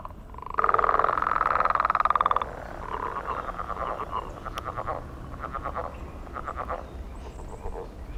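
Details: A frog calling to attract mates on a millrace in the morning, a declining species singing in numbers: a loud buzzy pulsed trill of about two seconds, then shorter pulsed bursts repeated roughly every second.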